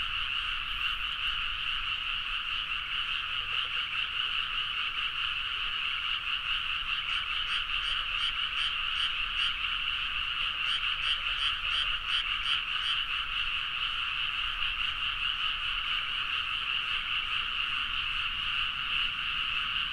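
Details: Large frog chorus in Japanese rice paddies at midnight, Nagaoka, Niigata, recorded with a Zoom H4n; steady dense croaking from many animals, some nearer callers adding rapid pulsed bursts mid-recording.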